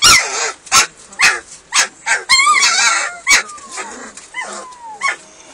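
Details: Hungry German Shepherd puppies at feeding time giving rapid, high-pitched yelps and thin, sliding whines, several voices overlapping in quick bursts about every half second.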